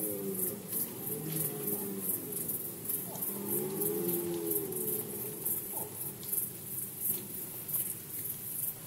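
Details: Rut season red deer recorded in Poland in 2020. Low, murmuring tones build to a clearer arched groan near the middle, then fade into a quieter rumbling background over a constant hiss.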